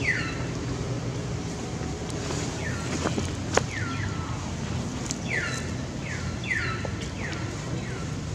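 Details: A scared baby monkey cries out for its mother's help as an angry female monkey goes after it. Piercing downward-sliding screams repeat roughly every half second to second in uneven bursts, with scattered clicks and a constant low rumble beneath.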